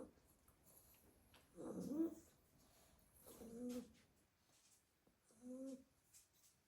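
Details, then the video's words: Sleeping Staffordshire Bull Terrier puppies in a basket after a day of garden play; three soft, short snoring breaths with a faint tonal hum, quieter than the surrounding room. "A basket full of snoring staffy puppies"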